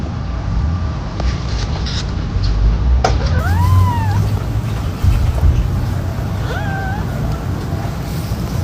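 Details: Kittens playing, two high arching meows rising then falling, the first longer and brighter, the second shorter a few seconds later, over a steady low rumble and background music.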